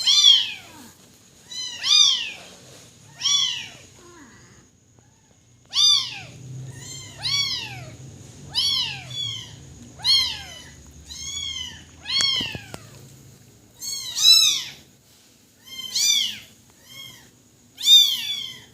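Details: Kitten crying with high, arching meows, each short cry rising then falling, repeated roughly every one to two seconds in bursts, with a faint low rumble in the background.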